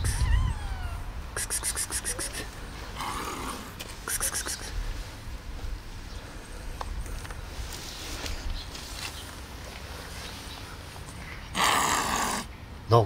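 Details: Domestic cats, one hissing at another: a short rising-falling meow at the start, then several sharp, breathy hiss bursts spaced across the recording, with a person talking softly to the cat in between.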